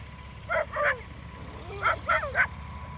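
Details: Street dogs barking while chasing away wild boars: five short, yelping barks in two loose clusters, two near the start and three close together about a second later, over a steady low background hum.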